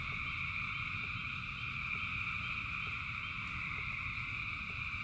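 A dense frog chorus makes a steady, shimmering trill over the low patter of rain.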